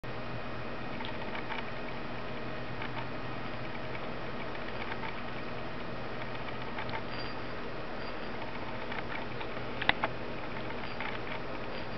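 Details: Only a low, steady indoor hum is heard, with faint patter and handling clicks and no animal call.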